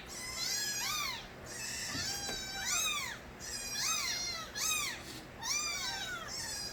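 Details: Several young street kittens of the cat Nabi meow loudly and almost without pause. Overlapping arched mews rise and fall in quick succession, with no other sounds.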